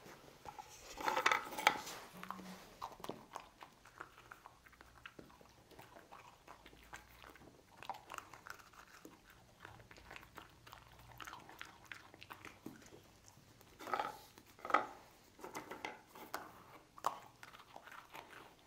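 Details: Lucy the dog eating cookies: crisp, irregular crunches and biting snaps, loudest in bursts near the start and again around fifteen seconds, with quieter chewing between.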